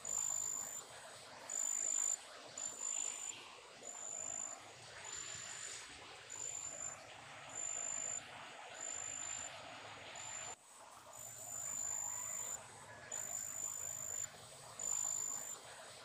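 High, thin chirps from a big brown katydid come in short bursts at a fairly even rhythm. A broad hiss of other insects or wind runs underneath throughout.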